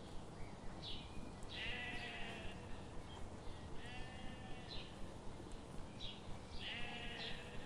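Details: Sheep grazing in a forest under the morning sun, giving wavering, harmonic bleats about every two to three seconds over a steady low rumble and faint regular ticking.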